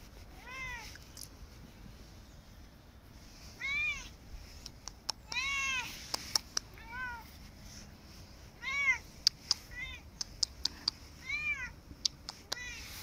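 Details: Korat cat protesting its owner leaving for work meows repeatedly, about six arched, harmonic cries spread over thirteen seconds, some short and some longer, mixed with sharp clicks and knocks.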